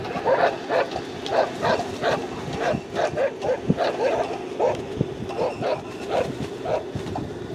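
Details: Afghan Hound barking at the 2021 American Kennel Club National Lure Coursing Championship, Saturday GANG trial in Muncie, Indiana, on 30 October 2021. Steady run of sharp, mid-pitched barks about twice a second over constant outdoor background noise.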